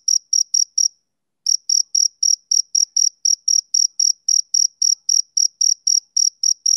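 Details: Rhythmic chirps of a male cricket, summer evening: short high pulses in quick even succession, a brief half-second silence near the start, then the steady series resumes, background otherwise silent.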